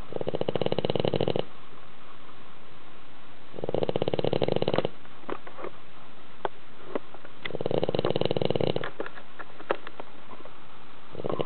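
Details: Soundly sleeping house dog producing thunderous snores in a tilted home; four buzzing, vibrating snores about 1.2 seconds long repeat roughly every four seconds, with small lip smacks and clicks during the breaths between.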